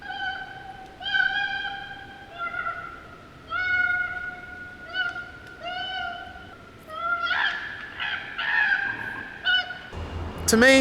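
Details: Female koala (Phascolarctos cinereus) screeching: a series of drawn-out, wailing screeches that turn harsher and more ragged.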